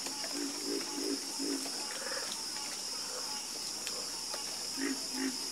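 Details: Frogs calling at night with a run of rhythmic, deep croaks early on and another pair near the end, all over a steady, high-pitched drone of insects.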